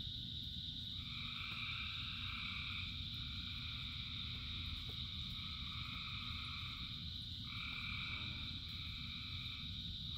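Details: Rainy frog chorus: sustained shrill trilling at several pitches, layered callers starting and stopping every few seconds, a faint brief pulsed croak near the end, and a steady wash of falling rain.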